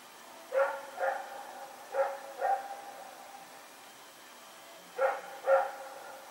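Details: Rex, a dog out running in the night on Sep 21, 2018, gives barks in loose pairs, six in all, each pair half a second apart with longer pauses between, faint hum underneath.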